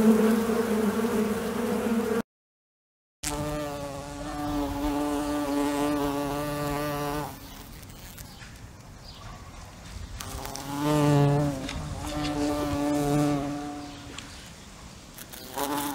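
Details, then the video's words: Fly buzzing in bursts. A low drone cuts off for a moment, then returns as a rich, overtone-laden hum that fades and swells as the insect seems to move closer and away. "Звук мухи. Жужжание мухи."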